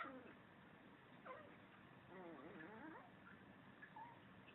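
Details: Mobee the Chihuahua having fun by himself and making funny noises: a short squeaky rising note early on, then a longer wavering, warbling whine with quivering pitch through the middle, followed by faint brief squeaks, over a quiet background.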